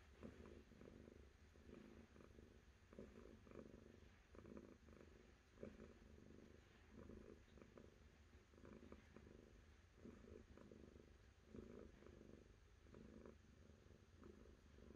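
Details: Purring cat, a deep vibrating hum broken into regular pulses under a second apart, steady and unhurried for the whole stretch, with nothing else audible.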